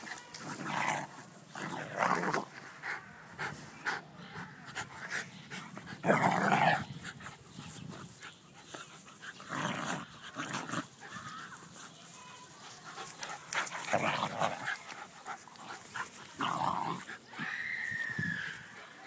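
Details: A schnauzer and a beagle wrestle together playfully; repeated short growling and snarling bursts come in clusters with pauses, plus scuffling and panting between outbursts.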